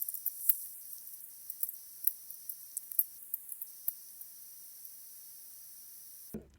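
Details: Common noctule echolocation: slow, irregular dry clicks over a steady hiss, lower and slower than smaller UK bats because it is a bigger bat; call rate is tied to its breathing and wing beat, calling on exhalation.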